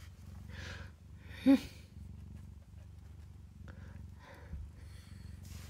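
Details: Mother cat purring as kittens nurse in a cabinet; a low continuous purr runs beneath soft human talk, with one brief louder sound partway through.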